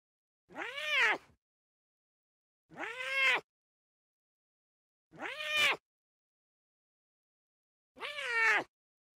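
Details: Playful lion cubs bonding in the wild: four clear, nasal mewing calls, each rising and falling, repeated every two to three seconds against near silence.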